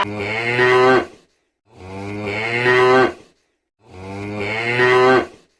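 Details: Cow moos repeated three times, each about a second long, rich and nasal with a steady low pitch, separated by brief pauses.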